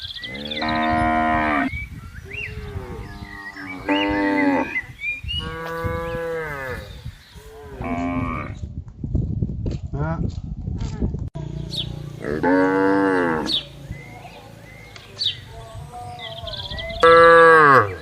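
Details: Cattle grazing on a wide field, mooing to gather the herd: a run of repeated harmonic moos, some short and some drawn out, overlapping in places, with rustling noise and birds chirping faintly behind.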